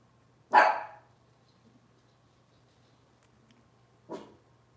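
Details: Cavalier King Charles Spaniel from a puppy litter, filmed indoors on a morning kitchen-cam livestream: one loud, sharp bark, then a softer second bark about three and a half seconds later, over a quiet room with a low steady hum.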